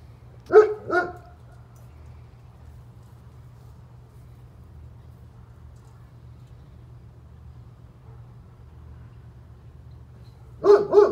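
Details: German Shepherd belonging to a neighbor barks in a quick pair, falls silent for about nine seconds, then lets out another rapid pair of barks, with a low steady hum underneath.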